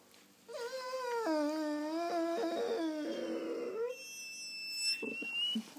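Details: Morning talking from a German Shorthaired Pointer inside a small room, a long run of wavering, whiny howl-like moans that bend up and down for several seconds, ending in a fading groan, with a faint high squeak overhead.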